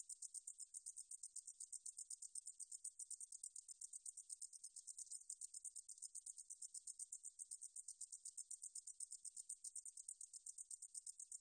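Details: Meadow katydid song from a National Institute of Biological Resources recording, 2020: a steady high-pitched hissing buzz broken into rapid even pulses, about four a second, running unbroken through the clip with no other sounds.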